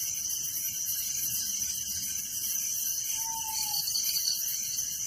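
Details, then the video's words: Crickets at night in a village: a dense, steady chorus of high, rapidly pulsing trills layered in several bands, unbroken throughout, with a single faint drawn-out low whistle near the end. "Relaxing Night Crickets Sound in Village"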